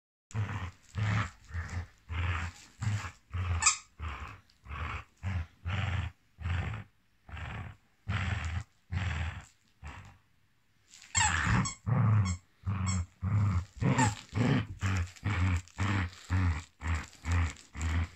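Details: Millie, a Basset Hound, with a snake: deep, heavy barks repeated in quick bursts about twice a second, a short pause midway, then a renewed, louder run of rapid barking.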